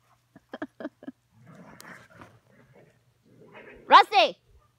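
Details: Rusty, a Poodle in Colorado, lets out a sharp, high-pitched two-part yelping bark near the end, after a few short clicks and soft Spanish speech.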